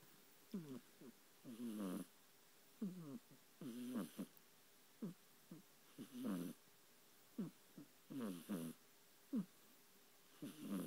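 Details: Sleeping Burmese kitten snoring fairly loudly, captured with an iPhone 4: irregular low snuffling snores, raspy and slightly whistling, come in pairs and singles roughly every two seconds against near silence.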